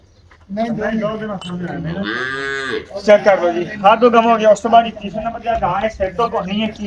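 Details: A Cholistani cow offered for sale, said to be pregnant and giving seven kilos of milk, lets out a long, low, droning moo of about two seconds that swells and then bends downward, followed by a man talking in short bursts.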